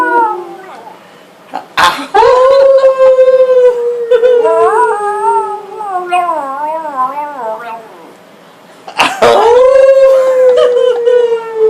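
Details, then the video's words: Frito, a pet dog, howling along with the family in August 2012: long sustained howls with wavering, bending pitch, rising into a strong tone, pausing, then starting again, with human voices mixed in. "Getting Frito to Howl"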